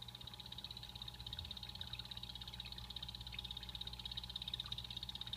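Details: Blue-bellied poison frogs kept as pets in a natural, real-plant vivarium call with a steady high-pitched buzzy trill, a continuous run of rapid pulses throughout, over a faint low mechanical hum.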